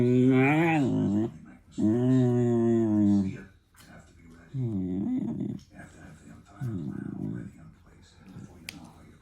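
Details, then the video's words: German Shepherd puppy making funny noises: drawn-out, moaning, harmonic whines. Two long wavering ones come first, then shorter, lower grumbling bursts, with quiet gaps between. "DOG MAKING FUNNY NOISES"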